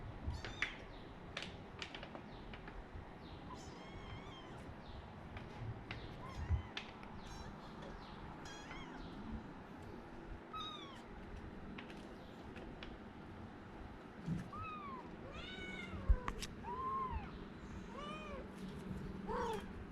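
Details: Several kittens, all from one mother cat, give thin, high, arched meows scattered through the stretch, some single and some in quick pairs, over a steady low hum and faint clicks.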